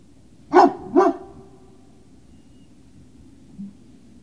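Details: Great Danes at Puppy Hill on the evening of 19 February 2019: a pair of quick, sharp barks half a second apart, a faint low sound later, otherwise quiet.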